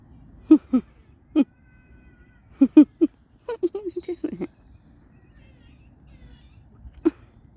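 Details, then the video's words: Squirrels in a local park give short, nasal, harmonic-rich calls in pairs and singles, then a quick sputtering run of notes midway and one last call near the end, with faint bird chirps in the quiet background. "Squirrels Making Funny Noises"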